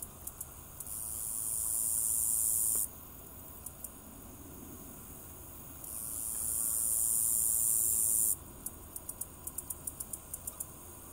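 A meadow katydid sings its mating call: very high, hissing buzzes broken by series of sharp ticks.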